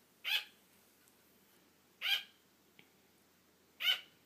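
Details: A female pet sugar glider gives sharp, high, yappy barks about every two seconds, calling for attention when her owner starts falling asleep, wanting to keep playing.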